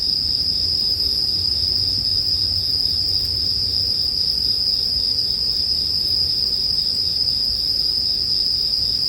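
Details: Bell cricket chorus: a constant bright ringing note held the whole time, with a low rumbling crackle of burning firewood beneath it, made as relaxing sleep background.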